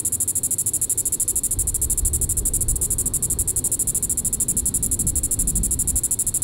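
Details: Diceroprocta vitripennis cicada calling in the evening at Sand Hills State Park, Reno County, Kansas, on July 20, 2014: a steady, high buzzing drone made of rapid, even pulses, over a low rumbling background.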